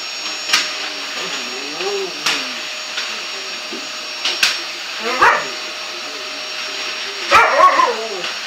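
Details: Bulldog Winnie, hating the running vacuum cleaner, lets out wavering nasal whines and grunts at intervals, the loudest burst near the end, all over a constant vacuum hum with sharp knocks.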